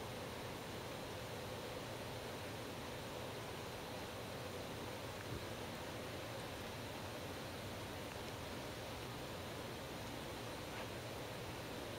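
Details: Steady broadband hiss with a faint low hum throughout, and no animal voice heard.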